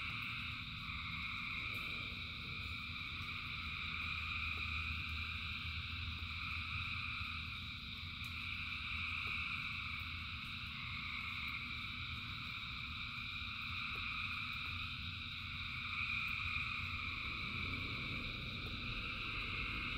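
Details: Rain-soaked night of countless frogs singing together, the shrill layered trilling swelling slightly in waves across the stretch, over low rushing rain and sparse drop clicks.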